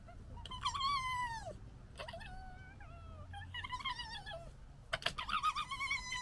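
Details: Young red foxes from 2021's litter scrapping, with long, wavering, falling whines and squeals, then a loud burst of rapid stuttering chatter near the close.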